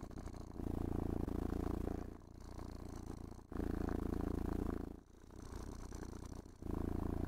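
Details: Domestic cat purring with pleasure while being brushed, stroked and petted indoors; deep rumbling purr pulsing in alternating louder inhale and softer exhale phases, each cycle about 1.5 seconds, with faint brushing scrapes.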